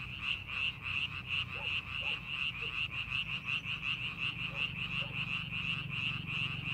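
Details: Croaking frogs fill a rice paddy during farming preparation, their quick pulsed notes repeating almost three times a second over a soft low background hum.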